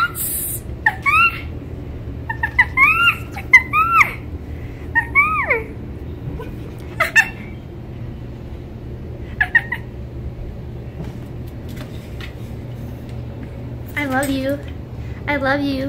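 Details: Winter, a female red fox born on a fur farm, where she spent her first five months, and rescued in November 2019, still learning to trust; a run of short, high, rising-and-falling whining chirps, then quiet, then two buzzy calls indoors.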